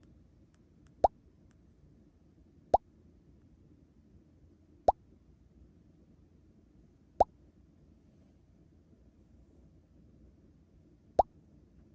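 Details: Five sharp isolated plop-like clicks at irregular intervals over a quiet low background hum indoors; no animal voice is heard.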